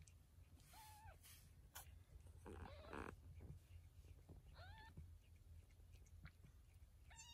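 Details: Mother cat moving her kittens one by one: short, level meows at the start, middle and end, with handling noises and rustling between them in a quiet room.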